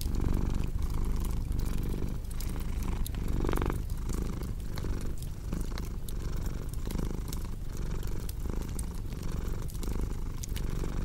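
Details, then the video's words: Continuous low-pitched purring from a cat, rhythmic breath-paced pulses roughly every second, mixed with the snapping crackle of a cozy wood fire indoors. "Purring Cat with Cozy Crackling Fireplace Sound"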